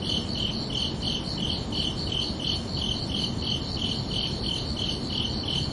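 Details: Night-time cricket chorus on a summer evening, with high chirps pulsing evenly about three per second throughout. A soft broadband hiss and low rumble sit beneath them.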